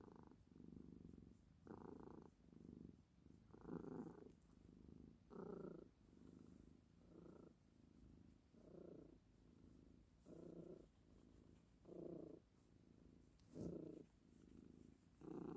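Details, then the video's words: Steady purring from a domestic cat, pulsing with each breath roughly every one and a half to two seconds, louder and softer phases alternating, with no other sounds. "Wait and see the meow coming"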